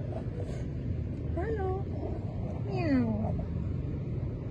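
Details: Abandoned blind stray cat, found very weak on a roadside at night during a rescue, giving two thin downward-sliding meows against a steady low rumble of road noise.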